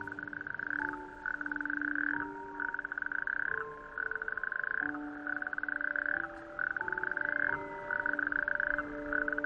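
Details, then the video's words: A chorus of male natterjack toads, the smallest toad, on small islets of a bare-rock outer archipelago on a warm May evening. They give loud, rattling, overlapping trills almost without pause, calling at night with inflated vocal sacs to attract females. "It is the croak of the natterjack toad, our smallest toad."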